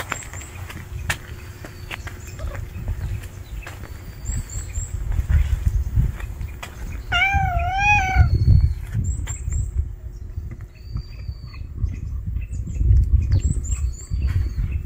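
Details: Stray kitten that cannot live without its mother gives a single wavering, harmonic-rich meow lasting about a second midway, over steady low rumbling background noise, with thin high bird chirps repeating throughout.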